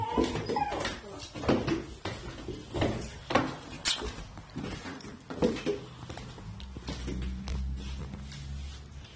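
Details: Shiba Inu dog dressed up as an uncle, waiting for him to come home and seemingly growing angry as he is slow to return; short whimpering and yipping bursts repeat about every second, mixed with human voices and a low background hum.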